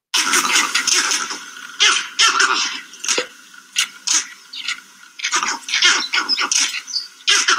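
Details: Vervet monkeys at their sleeping site in trees react to a life-size leopard model with loud, harsh, repeated barking leopard alarm calls in quick overlapping bursts, louder than needed just to signal each other.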